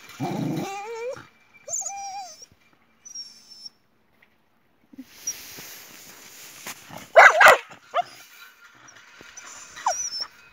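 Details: Jessie, a Boxer, quarrelling with her dog friend Spike over a toy; opens with strained, wavering whimpers and whines, then a few thin high squeaky tones, followed by scuffling and clattering bursts with a brief high whine near the end.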